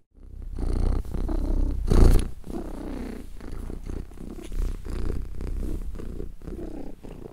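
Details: Deep, continuous purring from a contented cat, low throbbing rumble in even waves with one stronger burst around two seconds in, otherwise steady and calm.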